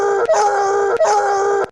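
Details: A bloodhound bays in a fevered pitch, giving two drawn-out, throaty, tense howls each under a second long, used as a reference for comparison with a suspected dog-like vocalization.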